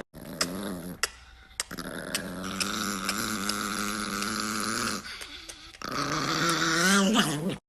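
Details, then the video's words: Angry Chihuahua growling in a long, low, buzzy rumble that holds steady, broken by short pauses near the start and a gap around five seconds, then rising into a louder, whining snarl at the end. "The Most Angry Chihuahua Ever!"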